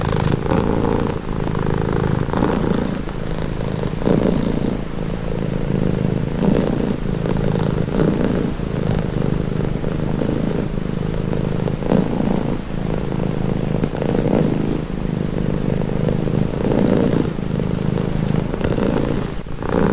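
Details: Cat purring for calm and relaxation: a sustained deep, buzzing rumble, rhythmically swelling with each breath every two seconds or so, unbroken and even across the whole stretch.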